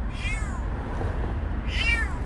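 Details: Petit, a stray kitten, meows twice, about one and a half seconds apart. Each call is a high, arching cry that bends down at the end, set against steady low background noise.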